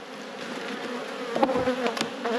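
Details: Honey bees buzzing in a thriving apiary hive, opened for inspection of brood frames. A steady, droning hum holds throughout, with soft clicks and knocks as frames are handled.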